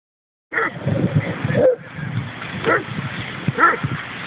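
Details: Dogs, a Leonberger named Arnold among Pyrenean companions, playing together in the dog park at Lade in Trondheim, Norway; a few rough, muffled barks over steady outdoor rumble and handling noise.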